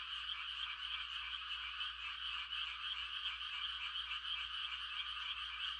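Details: Frogs calling on a quiet country night in Korea during rice-planting season: a dense, continuous chorus of overlapping croaking trills from many frogs, a steady wall of sound with no gaps.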